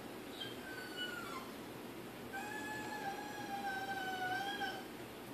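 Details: Desperate to get past a baby gate to his big Pitbull sister Jazmin, Diesel the Yorkshire Terrier whines indoors in Maryland: long, thin, wavering tones, one brief and then a longer sustained cry, over steady room noise.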